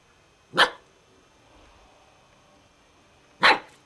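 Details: Alaskan Malamute puppy giving two short, sharp barks about three seconds apart, with a quiet room in between.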